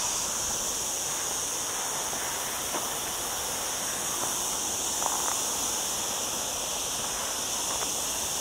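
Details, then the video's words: Cicadas singing among olive trees in the lower Sierra Llana near a town, on a cloudy day in a very hot week: a steady, unbroken high hiss-like buzz fills the air, with faint clicks beneath. "Olive Trees and Cicada Sounds"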